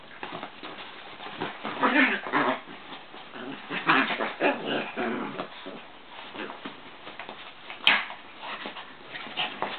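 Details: Two Chihuahuas, Joey and Papi, wrestling indoors in a work room: short rough growling and whiny vocal bursts, strongest around two and four seconds, amid scuffling paws and a sharp click near the end.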